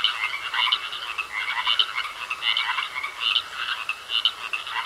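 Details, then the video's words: Croaking frogs in a pond, grating calls coming in rough bursts about once a second, a few voices layered together against faint steady background noise. "Sounds Of Frogs Croaking In A Pond"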